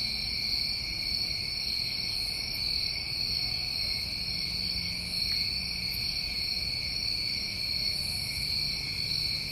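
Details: Crickets of a New England summer night keep up a constant, even, high-pitched trilling drone in two bands, a few soft higher chirps scattered across, and quiet low rumble beneath.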